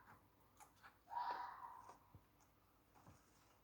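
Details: Red fox screaming at night in Millfield, Sunderland, at 2:45am on Friday 14 August 2020, near the metro footbridge facing the hospital: one short, hoarse screech lasting under half a second, followed by faint clicks in a quiet night.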